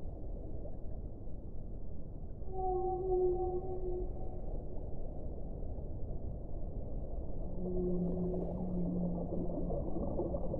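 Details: Whales singing, with a pure sustained tone stacked in several harmonics around the third second, quiet rumble between, then another long low moaning note near the end, the whole set against steady dull underwater hiss.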